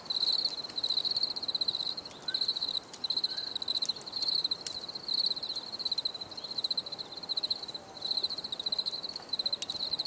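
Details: Shrill crickets trilling in clustered pulsed chirps, separated by brief silences, over low background noise.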